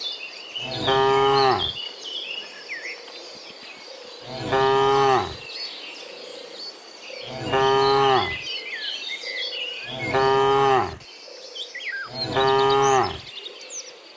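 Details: Herd of dozens of cows heading back from the field to their pen in the morning, giving five long, rich moos spaced roughly three seconds apart, with steady bird chirps and insect trilling behind.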